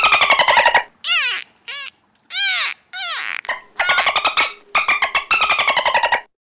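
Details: Dolphin making clicks, clucks, creaks and whistles: fast buzzing pulse trains open and close the sequence, with short arching squeaky whistles and sweeping squeals between them, loud and close.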